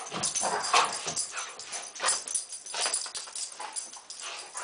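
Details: Play-fighting poodles, the scuffle started by stalking. Rapid, uneven yips and throaty grumbles tumble over one another, mixed with rustling and bumping of bodies.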